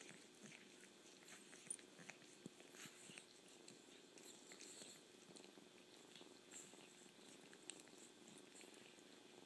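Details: Kitten purring softly in a steady low rumble, broken by wet slurping and chewing clicks scattered throughout, with a quiet indoor background.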